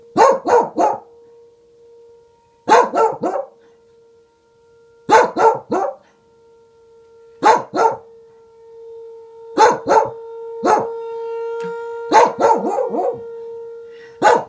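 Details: Reina, a Welsh Corgi, barks at a tornado siren in quick bursts of two or three sharp barks every two to three seconds, while the siren holds a steady tone beneath her.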